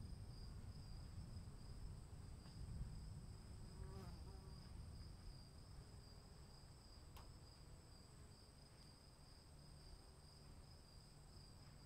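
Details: Crickets in the rain keep up a continuous, level high-pitched trill over dense low rain noise, with a few sharp drip clicks.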